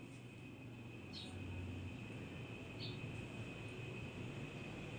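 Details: Steady indoor hum with low rumble and faint scattered clicks; no animal voice stands out.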